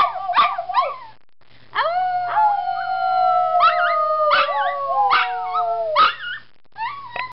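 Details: A male Toy Poodle howls along with people, breaking into a long, wavering howl mixed with sharp yips and short barks.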